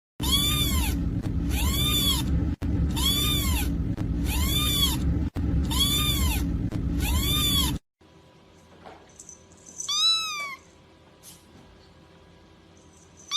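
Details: Domestic cat meowing: a run of identical arched, rising-then-falling meows repeated about every second over loud music, followed by a quieter stretch with one more meow.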